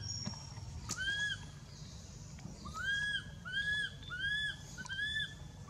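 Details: Anissa, a baby monkey living wild around Angkor Wat temple, cries in pain after Aron hit and dragged her; a run of five or six arched, tonal squeals, each rising and dropping, repeated about once per second.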